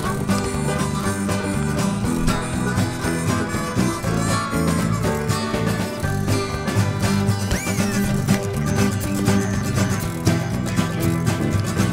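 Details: Lively bluegrass-style music with plucked strings, steady beat throughout, no animal voices.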